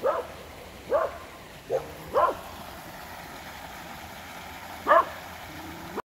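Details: A series of dog barks near a creek: quick irregular barks in the first two seconds, a louder one near five seconds, with constant background noise.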